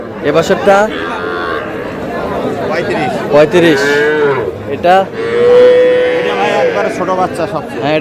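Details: Small bull calves at a purchase by a Comilla farmer, 10 June: two drawn-out, level, tonal moos, the second lasting about two seconds, over a busy background of talking people and crowd noise.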